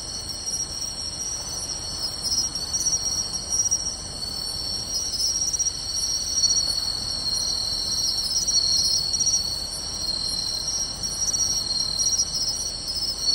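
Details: Pine crickets, bell crickets and other insects singing together on a summer night in grassland by a beach in Tainai, 24 August 2020: steady overlapping high trills with short bright chirps repeating about every half second.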